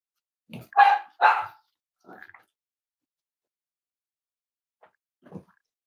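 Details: Cavalier King Charles Spaniel puppies in a home livestream: two sharp yappy barks close together, then a softer short yip and a faint low grunt after a pause.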